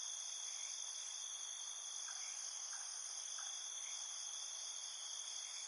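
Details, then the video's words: Nighttime field crickets calling in a field, a steady high shimmering trill in stacked bands without pauses, plus a few faint lower chirps. "Ambiance Night Field Cricket Sounds"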